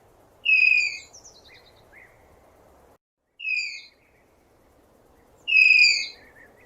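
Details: Tapir giving shrill, slightly falling whistled squeals with bright overtones: three calls, two long and one short, separated by pauses of two to three seconds, over a steady soft background hiss.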